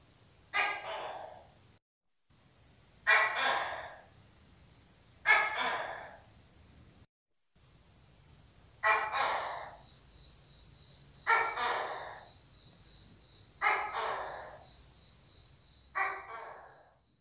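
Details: A repeated Tokay gecko call of hoarse, explosive notes that decay quickly, each one about two seconds after the last, seven notes in all. A faint high-pitched electronic tone is present in the background.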